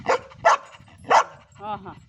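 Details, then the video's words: Ruby the Labrador Retriever 'talking': three rapid sharp barks, followed by a drawn-out, wavering tonal whine. "क्या आप समज गये रुबीने क्या बोला ??"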